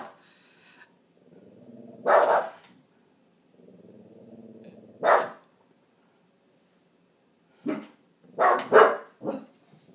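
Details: Boston terrier frenchton named Tate on watch indoors, hackles raised, gives loud single barks near two and five seconds and a quick burst of three near the end, with a low rumbling growl running between barks.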